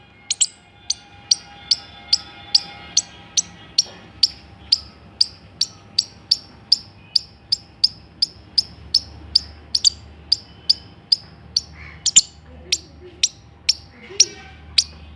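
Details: Steady series of bright, sharp squirrel chips repeated about twice a second for fifteen seconds, each note short and clicky, with a faint low hum beneath.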